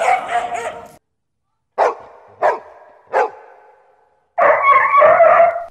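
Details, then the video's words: Dog barking: a burst of rough barks, then three separate sharp single barks spaced under a second apart, followed by another loud continuous barking burst. "sonidos Perros Ladrando🐕‍🦺 dog barking"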